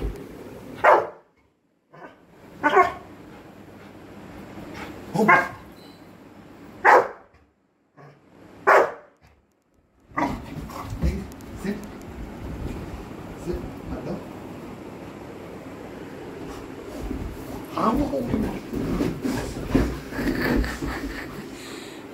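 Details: Coco, a pet Labrador, playing and bonding with a family member; five loud barks spaced about two seconds apart, then a stretch of scuffling, soft yips and household noise.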